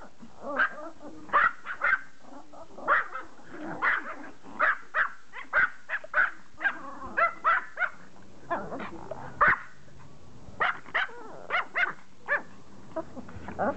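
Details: Toy Pomeranian barking to beg for a game of fetch: quick, shrill yaps in clusters of two or three, steady for most of the stretch, then a short lull before more yapping resumes.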